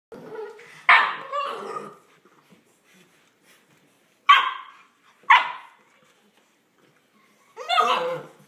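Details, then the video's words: Olde English Bulldogge puppies, ten weeks old, playing: four separate sharp, raspy yips and barks, the first drawn out and grumbling, spaced one to three seconds apart with quiet gaps between. "10 week puppies playing"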